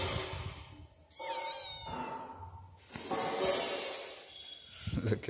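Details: A female kitten meowing near her favourite sleeping spot: two drawn-out, wavering meows, the first sliding downward, with a person chatting over them and some handling noise at the end.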